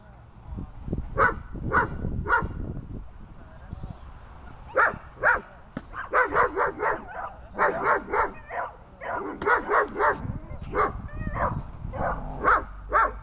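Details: German Shepherd female working through protection training, dated 24 October 2018, barks in quick repeated volleys, several per second, with pauses between bursts and a human voice in the background.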